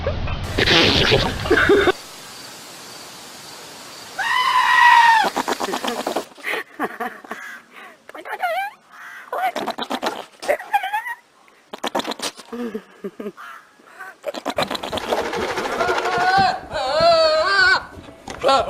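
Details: Goats screaming in a compilation of funny, human-like goat noises. Wavering, harmonic, quavering screams rise and fall near the five-second mark and again toward the end, with human speech and laughter in the gaps.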